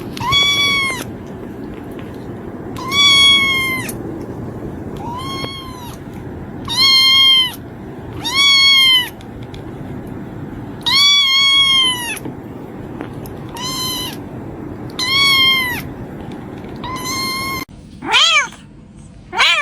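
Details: Kitten repeating bright, high meows about ten times, each under a second and arching slightly, roughly every one to two seconds, against low steady background noise and a harsher burst near the end.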